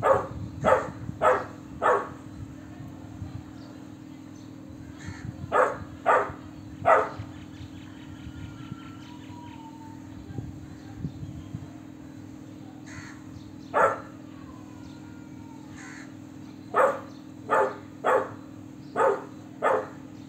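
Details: Young Golden Retriever pup with a big, adult-sounding bark: loud clipped barks in quick runs of three or four, quiet gaps between, faint thin whistly tones and a constant background hum.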